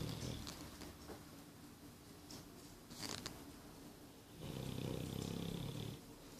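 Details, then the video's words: Nine-month-old English Bulldog snoring indoors: a low rattling snore swells after a quieter stretch and holds for under two seconds, with softer raspy breaths before it and faint clicks in a small room. "English Bulldog Boris snoring"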